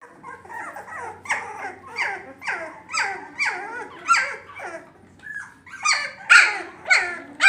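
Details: Labrador Retriever puppies giving a run of high, sliding yelps and whines, roughly one every half second, with some overlapping and a louder, shriller burst near the end. Nothing else is heard.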